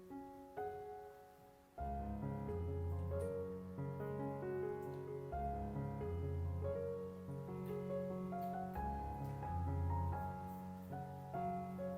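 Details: Piano music fills the whole stretch, steady chords under a simple melody. No animal calls can be picked out.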